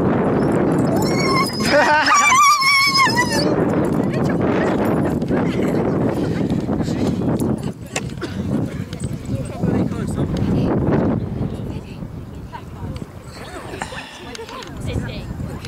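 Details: Huskies gathered for the Huskycamp 2013 fun dog show: a loud, wavering, high whining howl lasting about two seconds near the start, then a long stretch of people talking and general camp bustle.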